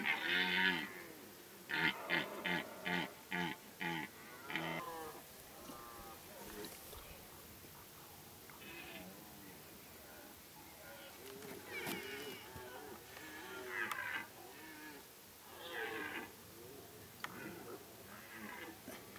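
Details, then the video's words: Many deer roaring during the rut in Kopački rit Nature Park, Croatia, a strict reserve with no hunting, in late summer. Rapid bursts of harsh calls open the recording, then scattered deep, groaning roars overlap from several animals. "Massive deer roar in Kopacki rit, Croatia - Masovna rika jelena u Kopačkom ritu"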